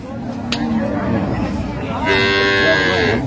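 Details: Cattle at the Raniganj livestock market in Dinajpur, among improved-breed dairy cows and calves on sale, 12/6/25: a voice bargains over a low rumbling moan, then a loud, nasal, steady moo swells for about a second amid market background noise.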